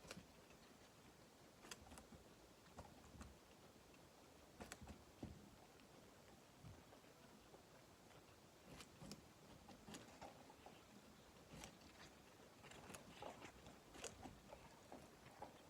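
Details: Guinea pig eating, with quiet irregular crunching and crisp clicking bites scattered through the recording, some in quick clusters, over a low background hiss in a small indoor space.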